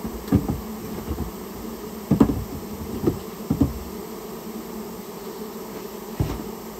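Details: A colony of rare Japanese honey bees that built its nest in a storehouse, disturbed during removal. Their continuous low droning hum runs under a series of irregular thumps and knocks.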